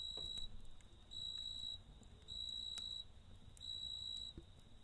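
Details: Night-time cricket near a campfire, trilling in long, high, even bursts of roughly half a second to a second, separated by brief pauses, with faint crackling from the fire underneath.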